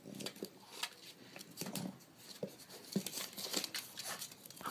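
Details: Indoor scuffling, rustling and scratchy tearing noises with no clear animal call.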